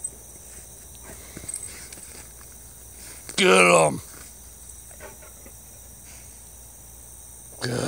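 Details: A male Treeing Walker Coonhound, almost four years old, howling, baying and having fun, lets out one loud, ringing bay that slides downward in pitch.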